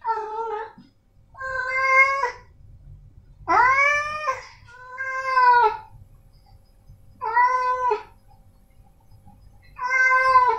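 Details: Short, clear meows from male house cats Snowy and Milo, about one every two seconds, each a brief arching cry lasting under a second, with faint low room rumble beneath.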